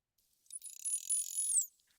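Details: A calf's high, buzzy, whistle-like contact call lasts just over a second. It is believed to be a known female's calf, and its call sounds quite different from the mother's.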